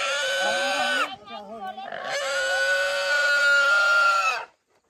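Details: Free-roaming domestic pigs being caught in a forest to sell to traders: loud, shrill, sustained squeals, one about a second long, then a steady piercing squeal of over two seconds, with a short harsher cry between.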